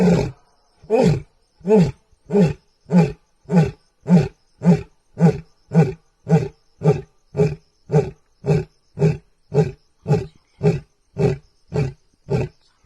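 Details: At night, a male lion roars in a steady train of deep, throaty, booming grunts, about twice a second, holding a regular rhythm for over ten seconds with no other sounds.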